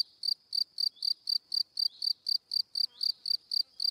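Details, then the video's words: Male cricket chirping, the sound called cri cri: crisp, bright, evenly spaced pulses at about four per second, loud and clean against silence. "Cricket Sound - Cri Cri - Cricket Singing"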